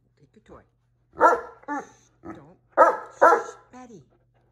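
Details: Great Dane bickering with a cat over a favourite chair at home, giving a run of moaning, yodel-like grumbles and short barky woofs in uneven bursts, while a person tells it to sit.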